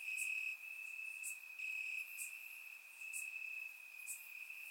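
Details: Crickets calling from grass on a warm summer night in Bulgaria, recorded in surround: a sustained piercing trill with gentle loudness waves and sparse sharp chirps about once a second.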